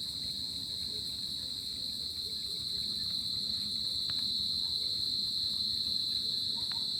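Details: Crickets at night in summer giving an unbroken high-pitched ringing trill, steady in pitch and loudness, with a few faint clicks and a soft low background hum.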